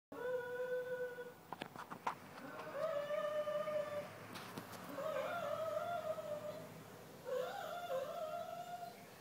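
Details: Pet retriever singing at random, a drawn-out howl held on a steady mid pitch, then several clicks and knocks, followed by longer wavering howls that waver and bend upward near the end.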